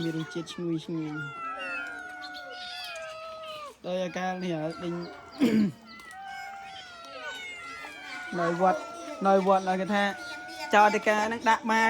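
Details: Several abandoned cats being fed rice, giving drawn-out, sliding meows that overlap one another, mixed with steady conversation from people nearby.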